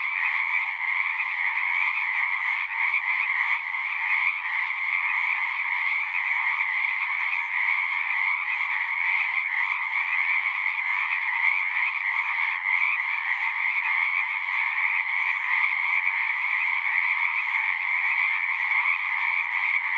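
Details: Steady night-pond style frog chorus from a pond in a horse pasture, Zoom 6 recording: dense, relentless high rattling trills fused into a constant loud buzz, unchanging in level across the whole stretch.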